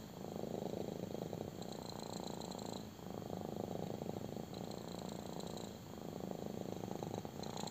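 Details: Small cat purring hard during a belly rub, a loud throbbing rumble in phrases about one and a half seconds long, separated by quick breath pauses.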